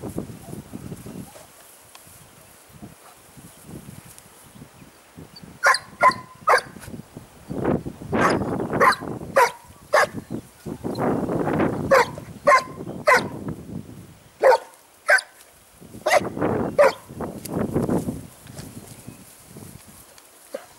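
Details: Segugio Italiano hound named Sofiko, out on a training run in Evros on 12 May 2018, gives repeated sharp barks and bays from about six seconds on, with voices talking in between and outdoor background noise.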